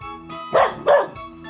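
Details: Pet dog barking because it is hungry and wants its food: two short, loud, tonal barks about a third of a second apart, set over steady, bouncy instrumental music that plays throughout.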